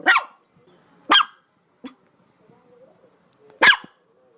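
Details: Dog barking: three sharp, loud single barks spaced about a second or more apart, with a softer short yelp between them and faint low background noise.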